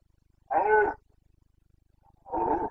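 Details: Carpathian red deer stag roaring during the autumn rut in the forests of Bucovina, Romania, 29 September 2022: two harsh, bellowing roars about half a second long, separated by a short quiet gap, with faint low rumbling in the background.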